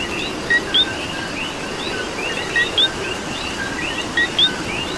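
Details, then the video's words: Puerto Rican coqui chorus in rainy weather, a loud near frog repeating a crisp two-part call, lower note then sharp upward whistle, against overlapping chirps from many more distant frogs and a steady hiss. "Coqui and Rain"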